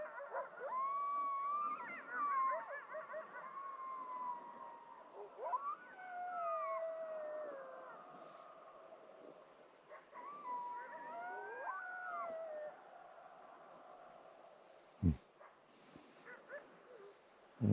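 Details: Several wild gray wolves howling at sunrise on a freezing morning on a Yellowstone–Teton backpacking trip: long overlapping wavering howls, rising then sliding down, rolling on in chorus, with short high bird chirps repeated throughout.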